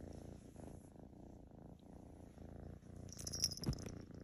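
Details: Half Maine Coon kitten Lotus, a tortoiseshell female, purrs while being petted close up; soft, even low rumbling pulses, with brief light rustling or touching noises near the end.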